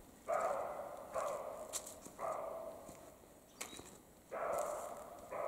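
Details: Male and female European roe deer in the Carpathian mountains during the mating season, giving a rapid run of five hoarse, rasping barks, each about half a second long, close together, with faint clicks behind.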